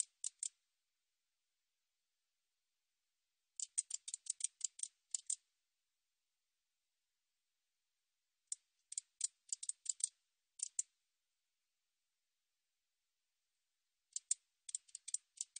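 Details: Katydid calling in short bursts of dry, high ticking clicks, five to eight rapid ticks per burst, with bursts separated by gaps of about three to five seconds of silence.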